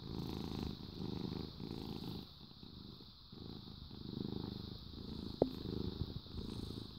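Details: Happy cat purring, a low rumbling throb that swells and eases with each breath roughly every second, pausing briefly before resuming, with one short sharp squeak near the end over a steady background hiss.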